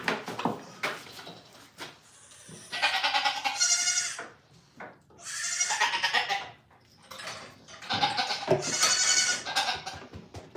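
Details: Goats on a farm learning to be calm and stand still; repeated loud, strained, wavering bleats, three long ones in turn with short gaps, some knocks and shuffling between.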